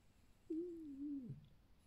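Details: Pet fox Alf, a fire-red ognevka red fox kept at home, makes one lazy evening ururu: a single smooth, low tonal note that slides gently downward and breaks off after under a second in a quiet room.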